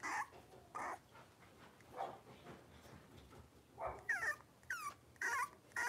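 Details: Blenheim Cavalier King Charles Spaniel puppies from a litter of five born at New Year, indoors in a home puppy pen: short yips, then high, wavering whines in quick bursts, with soft rustling between.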